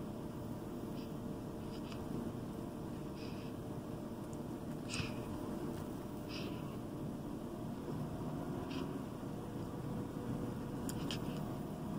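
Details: Quiet indoor hiss with faint scattered ticks and soft knocks, and no animal calls.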